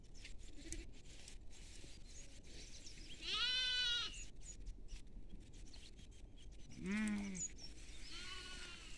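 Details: Goat feeding in a field alongside sheep, giving two loud harmonic bleats, a long wavering one near the third second and a shorter one near the seventh, over steady background hum and faint rustling.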